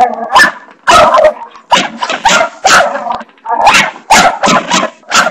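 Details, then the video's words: Pet dog Barney barks at a bathroom doorstopper, giving sharp, rough barks in close succession, some doubled, roughly ten in all, with no other clear sounds. "barney barking at the bathroom doorstopper"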